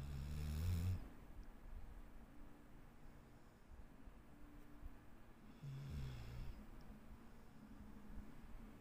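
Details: Dixie the dog snoring indoors: two deep, rasping low snores, the first about a second long, the second about five seconds later, with quiet room hiss between them.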